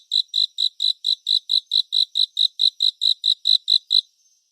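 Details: Cricket calling in a relaxing 3D surround soundscape: a fast train of clean, high, evenly spaced chirp pulses, about four per second, running for four seconds and then stopping abruptly. No other sounds.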